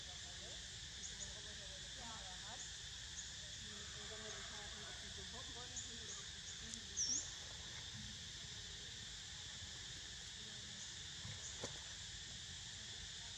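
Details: A continuous shrill cicada hum, even and unvarying, runs throughout while Niko sleeps; soft human voices murmur underneath and a couple of brief clicks stand out.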